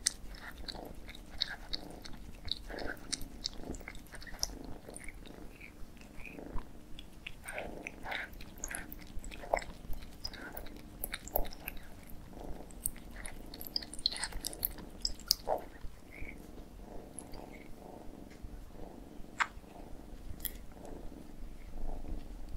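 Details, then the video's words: Two cats eating together indoors; steady wet chewing and crunchy biting with frequent clicks and smacks throughout, no calls. "CAT EATING MUKBANG"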